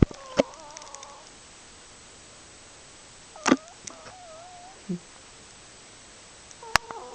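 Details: Charlie, a pet cat, snoring in deep sleep; thin whistled nasal tones with a slight wavering pitch come roughly every three seconds, one per breath, with soft clicks and rustles between them in a quiet indoor setting.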